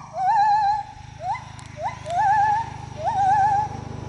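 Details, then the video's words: Singing gibbon moving through the trees: four rising whoops, each ending in a quavering, wobbly tone. The first and fourth phrases are long. A low steady hum runs underneath. "A gibbon singing"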